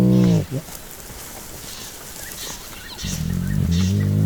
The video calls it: Playful Baby Hyena Sounds – Hyena Growl—Squeal Sounds – Sound of Hyena